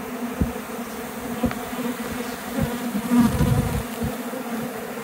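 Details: Swarming honey bees in flight around a hive box and nearby tree after a removal, the swarm attempting to abscond; a thick low buzzing drone that swells near the middle, with scattered thumps.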